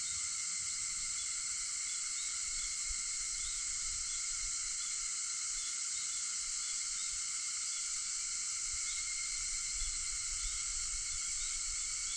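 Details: Early-morning cicada chorus, recorded at 4:50 on August 4: a constant high, hissing drone that holds steady from start to finish, with faint low rumble underneath.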